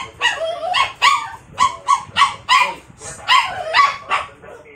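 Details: Poodle barking out of jealousy at a stuffed toy; a run of about ten sharp, high, yappy barks, some drawn into whiny yelps, coming in quick irregular bursts.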